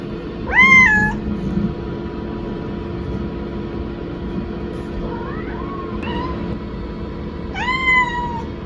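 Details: House kitten calling out after its owner went into the restroom: a loud arching meow, a pair of softer quicker meows midway, then another long arched meow that slowly falls, with steady background hum.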